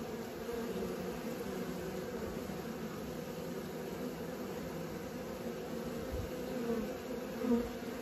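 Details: Honey bees learning to fly: a steady, dense droning hum of many wings holds evenly throughout, low and continuous, with a brief louder swell near the end as a bee passes close.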